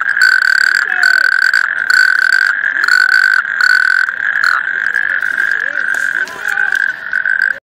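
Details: Natterjack toad giving a continuous rasping trill in chopped bursts that later merge into an unbroken rattle, with fainter croaks and quiet sliding calls of other toads underneath.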